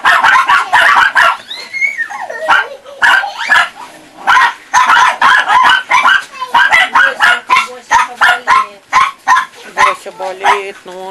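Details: Several Chihuahua puppies of four and a half to nearly five months at a Saint Petersburg kennel yap in rapid overlapping barks, broken by rising and falling whiny squeals and a few spoken words.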